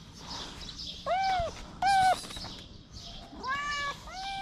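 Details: Homeless kitten licking fingers while standing on its hind legs, repeating clear arched meows, four or five in quick succession, over light background rustle.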